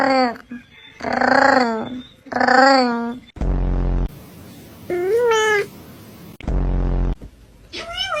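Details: Domestic cat meowing: two long, wavering meows, then a short rising-and-falling meow and a brief final meow, with loud, broad, rumbling bursts of noise between the calls.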